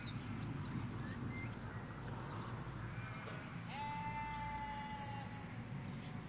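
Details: Sheep, ewes with lambs, grazing in Hampshire countryside; one long, level bleat sounds midway and trails off, preceded by brief chirpy bird notes, all over a steady low hum of distant traffic.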